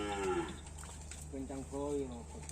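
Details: Cattle on Pulau Sapudi, Indonesia, where karapan sapi racing stock is sought: short harmonic lowing calls, one near the start and two rising-then-falling moos in the second half, over a steady low hum.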